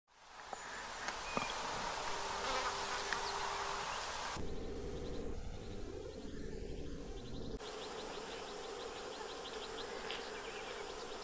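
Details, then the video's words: Several Eristalinus aeneus hoverflies on a building facade in the Séné Nature Reserve, Morbihan, in winter on 20 February 2023: a steady low droning buzz for the first four seconds, then small bird chirps over a fainter hum. "ÉRISTALE /Eristalinus aeneus/Hiver ! BRUITX"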